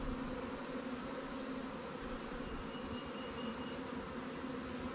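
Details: Newly hived honey bee swarm in an apiary, inspected as resources are given from stronger hives. Steady soft buzzing drone of the colony, level and continuous across the short stretch.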